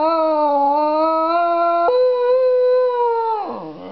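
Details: Staffordshire Bull Terrier cross Jack Russell "talking"; one long steady tonal howl that jumps up in pitch midway, holds level, then drops and fades with a rough waver at the end.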